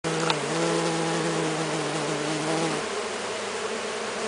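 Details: Stingless bees native to Brazil (Melipona scutellaris, Melipona anthidioides, Melipona mandacaia) crowd a hand while being fed sugar syrup. A steady, droning buzz with a low hum holds throughout, and its pitch drops slightly near the end.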